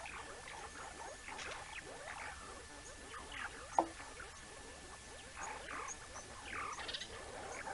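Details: A banded mongoose family at the Naledi Cat-EYE camera on 19 May 2019 chatters in a steady stream of short, overlapping chirps and squeaks.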